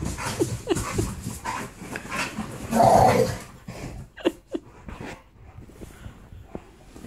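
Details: An Alaskan Malamute grumbles and whines in short, rough bursts while playfully teasing a pitbull with a toy, sounding fiercer than it is, as a person urges the dogs on.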